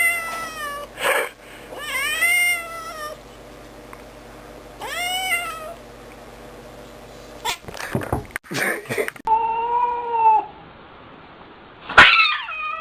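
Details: Angry cat giving a series of drawn-out, harmonic-rich meows that rise and then fall in pitch, about six calls spread over thirteen seconds, with a brief clatter of sharp knocks in the middle and a quiet room behind.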